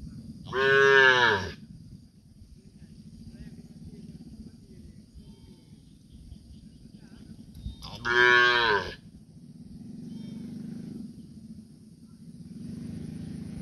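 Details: Cow. A young calf gives two loud, drawn-out bawling moos, each about a second long with a slightly falling, rough tone, spaced roughly seven seconds apart. It is calling for its absent mother over a low background rumble.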